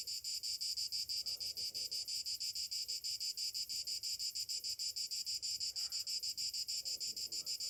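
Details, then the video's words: Morning cicadas in summer sing a shrill, throbbing buzz that swells and dips roughly five times per second, with scattered faint low chirps in the background. "Morning summer cicadas sounds"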